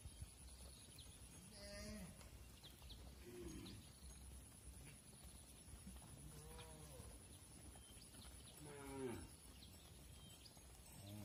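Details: Several mother cows moo repeatedly as they enter the barn while their calves stay outside, long harmonic calls rising and falling, some deep and some higher-pitched.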